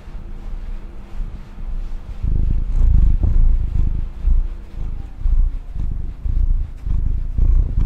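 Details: Purring of a pet female cat, a deep continuous rumble that grows louder from about two seconds in and rises and falls in roughly one-second breathing cycles, with faint rustling.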